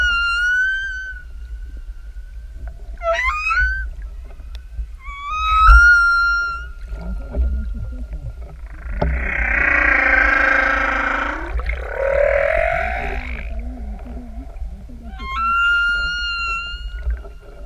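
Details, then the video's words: Open-ocean humpback singer heard from directly overhead: repeated high whistled tones with bright overtones, a few quick chirping upsweeps, then a long harsh, growling moan that bends downward before the whistles return. "Sortie Baleine du 2809 "elles chantent""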